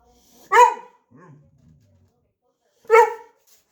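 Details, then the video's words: Boxer dog, afraid to retrieve a toy ball from under a shopping bag, lets out two loud sharp barks about two and a half seconds apart, with a short low grumble between them. "Vocal Boxer dog afraid of toy"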